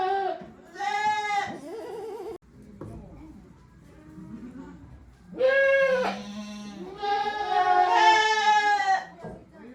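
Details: Shed-housed goats at a small handmade farm, recorded 5 December 2023, making odd calls: short bleats at the start, quieter rustling, then a loud cluster of overlapping quavering bleats with a lower groaning voice.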